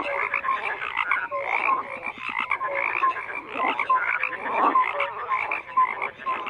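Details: Frogs croaking in a busy chorus, overlapping rasping pulses and short tonal notes in the middle range, continuous and unbroken.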